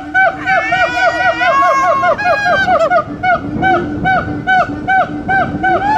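Siamangs sing loud, ringing hoots and barks that rise and repeat in quick succession.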